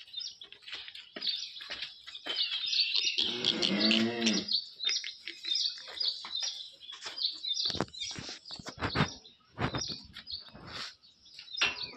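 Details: A large-framed HF Jersey cow, said to have only four teeth, lets out one low, harmonic moo lasting about a second and a half, steady and then fading, over constant chirping of small birds and scattered clicks.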